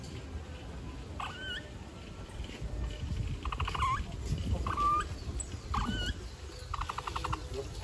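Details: Capybara giving short whistled squeaks that bend upward at the end, alternating with rapid buzzy bursts of clicks, about half a dozen calls spread over eight seconds, set against a steady low rumbling background.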